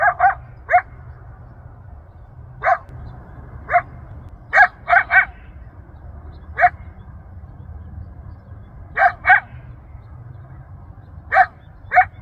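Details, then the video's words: Coyote calling out to its family and friends across Rancho Sierra Vista open space in Newbury Park, Ventura County, heard a mile away; about fourteen sharp, high yelps, some in quick doubles or triples, others spaced irregularly, over soft low noise. "Yelping Coyote"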